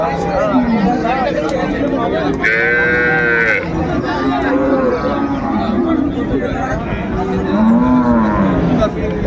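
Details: Cattle, cows with calves, for sale at the Ambari market, Dinajpur, 31 January 2025; several deep, wavering moos sound over dense human chatter, and a sharp high tonal burst briefly cuts in about three seconds in.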